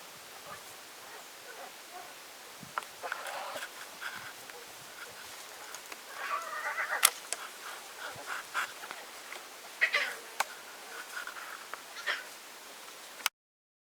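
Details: A week-old lion cub suckling makes soft, high mewing squeaks and short bleating calls of contentment in brief, uneven bursts, loudest near the middle, over a faint background hiss.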